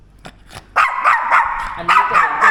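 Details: A Yorkshire Terrier that barks a lot, thought to be fear-based, gives quick, sharp, shrill, clipped yaps, about one every third of a second, during a training session.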